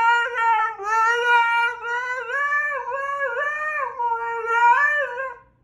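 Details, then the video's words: A Siberian Husky 'sings' with long, wavering howls, its voice sliding up and down in drawn-out swoops and bends, with a short rising whine near the start and a fade at the end. "Husky’s Debut Song"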